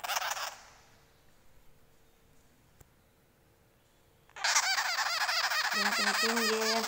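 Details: An angry baby sugar glider gives harsh, buzzy, rapidly pulsed chattering in a loud sustained burst during the last few seconds, after a brief opening burst and a quiet stretch.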